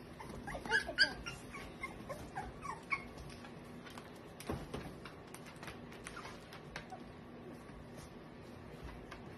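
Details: Eight-week-old American Cocker Spaniel puppies, males and females, give high, thin whimpers and short yips, loudest early and then fading.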